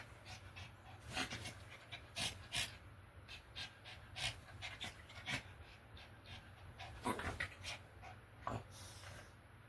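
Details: A puppy, annoyed by the heat, panting: breathy, noisy huffs in irregular bursts, strongest near the start, around the middle and toward the end, over a low steady background hum.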